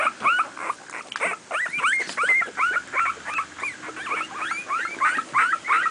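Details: Two-week-old miniature pinscher puppies playing together, giving a steady stream of short, high, upward-curling squeaks, roughly three each second, fairly even in loudness.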